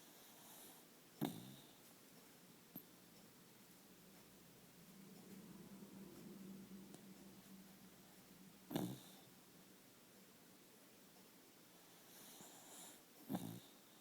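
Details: Dog snoring indoors in a small room: three short, rasping snorts spaced several seconds apart, with a low droning hum of breath between them. The background is quiet.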